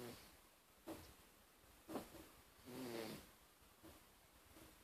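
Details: Darcy, a male pet cat, snoring while asleep: soft breathy rasps recurring about once a second, some with a faint wheezy tone, over quiet room background.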